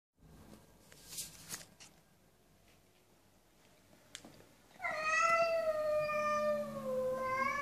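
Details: Cat giving one long drawn-out meow with a rich stack of harmonics. The pitch dips and then rises again near the end. It follows a quiet stretch of faint taps and rustles indoors.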